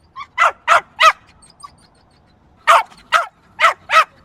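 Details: Loud, piercing yaps from a small yappy dog, three in a rapid burst, a pause of over a second, then four more evenly spaced barks.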